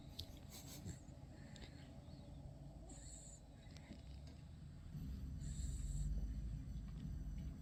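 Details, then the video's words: Kya, a pet dog, asleep and dreaming, kicking in her sleep: low, rumbling snores fill the recording, with a slow swelling breath that grows louder over the final few seconds. "Kya the snoring dog"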